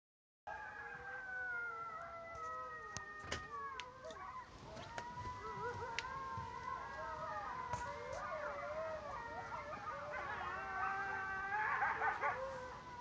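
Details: A coyote group chorus near a home in St-Épiphane on 18 March 2012, heard for a few hours, of overlapping wavering howls rising and falling, broken by sharp yips.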